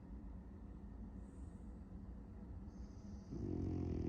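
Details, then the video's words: A sleeping French Bulldog, dreaming of chasing cats, snores indoors: a steady low rumbling breath that swells into a louder, buzzy, harmonic snort in the final second. "the French Bulldog dreaming of chasing cats 🐈‍⬛ and snoring"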